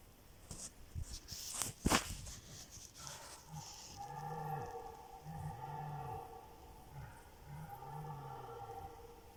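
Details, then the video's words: Red deer stags roaring during the evening rut; several stags called over one another after dusk, with only one seen. A sharp crack comes first, then a run of deep, groaning roars with arched pitch, each about a second long. "Wieczorne ryki jeleni"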